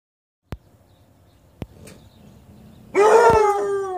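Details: Bluetick and Black and Tan Coonhound puppies howling: after faint clicks, a sudden loud, long howl with a steady tone and a slight drop in pitch fills the final second.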